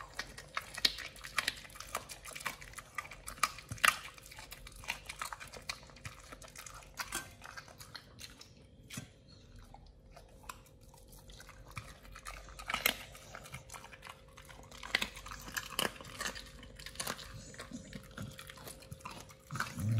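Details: nomyen the Pit Bull biting and chewing raw sole, pomfret, mackerel, duck feet and quail eggs. Twenty seconds of repeated crunching and tearing bites at an irregular pace, with a brief quieter pause in the middle.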